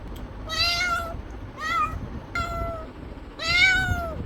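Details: Cat meowing: four separate harmonic meows, each about half a second, the first and last longer and arched, the middle two shorter with slight rising bends, over a low steady background hum.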